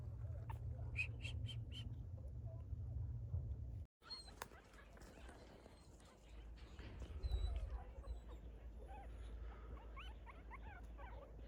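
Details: A group of young puppies living in a family orchard, giving a few short, thin rising whimpers in the second half over steady low rumbling background noise, with a brief series of higher squeaks near the start.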